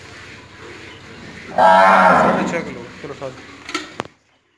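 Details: Tharparkar cow filmed around milking gives one loud, rich harmonic moo lasting about a second and a half. It fades into softer broken grunting tones, ending with a couple of sharp clicks.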